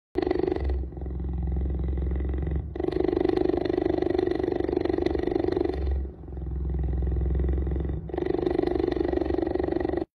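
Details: Tom the cheetah gives a deep, continuous rumbling purr in long phases of about three seconds, broken by brief pauses, steady and even throughout with no other sounds.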